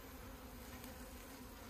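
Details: Dense, constant hum of honey bees over a hive being opened for honey in rural Puning, Guangdong, low-pitched and unwavering, with soft handling noises mixed in.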